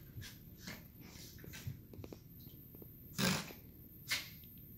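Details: Pair of bonded two-year-old Miniature Schnauzers wrestling in play indoors; soft breathing and scuffling broken by two sharp, loud snorting huffs a second apart, with faint low growly tones between.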